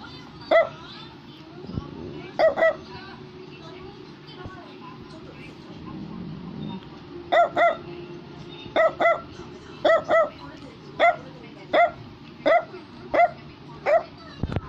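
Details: Barks from a Brussels Griffon start sparse and widely spaced, then quicken into a run of single and paired high yaps nearly every second; music and speech in the background.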